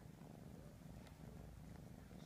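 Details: Close, steady low purring from Ralph, a kitten of three and a half months who keeps his siblings clean by grooming them; the rumble stays even, ending with a brief louder thump.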